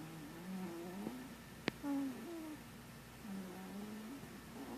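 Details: Marshmallow the cat, snoring and dreaming in sleep, gives soft low murmuring tones that waver and slide, with a brief squeaky rise near the middle and a single sharp click, over a quiet background hum.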